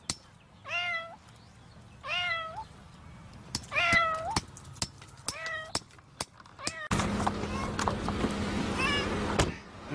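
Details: Domestic cat trapped in concrete cement mews repeatedly: five short, plaintive, falling meows about one to two seconds apart, mixed with sharp knocks and taps, then a loud steady rumbling noise takes over.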